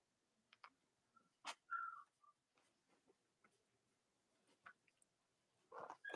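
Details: Young Cavalier King Charles Spaniel puppies indoors with three nursing mothers on a chilly Monday morning in the US; short thin squeaks, one longer wavering whine mid-clip, scattered clicks and rustling, a louder squeal at the end.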